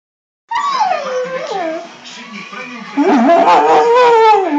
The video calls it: Basenji che si lamenta